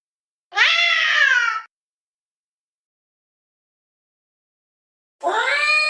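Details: Domestic cat making a weird sound: two loud, harsh, drawn-out meows about a second long each, slightly falling in pitch, separated by roughly three and a half seconds of silence.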